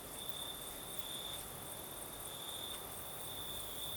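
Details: Crickets singing at night in the south of Crimea with a night breeze: a steady high trilling tone that swells and fades in loudness, over a constant broadband hiss of wind.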